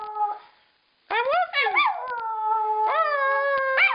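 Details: Pet female dog howling along after her owner howls; long harmonic howls starting after a second of silence, rising then falling, the last held steady and wavering near the end.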